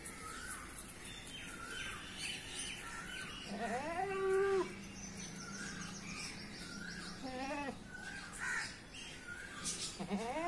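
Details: A goat gives a long quavering bleat, then a shorter wavering one a few seconds later and a brief cry at the end, while small birds chirp steadily throughout.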